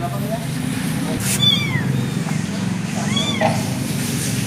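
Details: Abandoned kitten giving two thin, arching meows about two seconds apart over steady low rumbling traffic noise.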